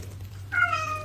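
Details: Domestic kitten crying: one clear tonal meow after a half-second pause, steady then gently falling, with a low indoor hum underneath.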